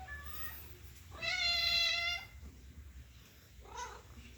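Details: Domestic cat giving a happy meow: one loud, sustained, rich-toned meow about a second long, framed by fainter short mews before and after, over low background hum.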